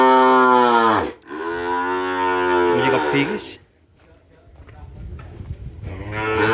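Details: Madura cattle from Sapudi Island, kerapan racing stock, giving a short moo followed by a longer, deep, drawn-out bellow of about two and a half seconds, then quiet background murmur before another moo begins.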